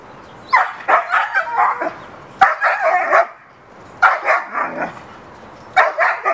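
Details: Dog named Hera in the backyard calling to the neighbor's dog to play; rapid rolling runs of rough barks, four groups in six seconds, each several barks run together.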